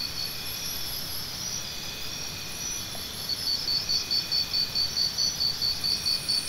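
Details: A background drone of insects gives way to a nearby cricket chirping in fast, regular, high-pitched pulses through to the end.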